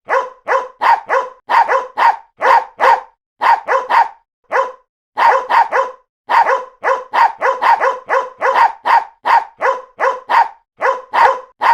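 A poodle barks in quick bursts of short, sharp, mid-pitched yaps with brief pauses between them.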